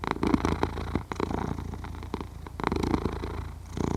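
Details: A sleeping domestic cat purring and snoring, recorded in stereo on a Zoom H6: a steady low rumbling purr with rhythmic pulses, swelling louder in bursts near the start and again after the midpoint.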